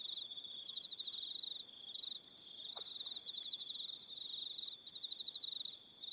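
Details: Crickets calling in the evening on Aroha Island, New Zealand: a dense, continuous high pulsed trill with overlapping chirping bands, several insects singing at once, steady and shimmering throughout.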